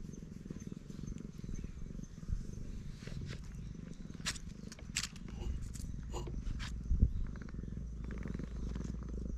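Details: Stroked black stray cat purring, a low, even rumble throughout, with brief scraping and rustling sounds from handling mid-way.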